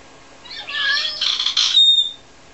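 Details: Rara, a two-year-old Ragdoll cat indoors in a small house, deliberately meows to call her owner once she can no longer see her during laundry; a loud, wavering, harmonic meow lasting over a second, ending in a brief high squeak.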